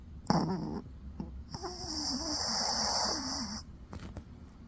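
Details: A sleeping dog snoring indoors: a sharp snort, then a long raspy breath lasting about two seconds with a faint whistling tone running through it, followed by softer breathing.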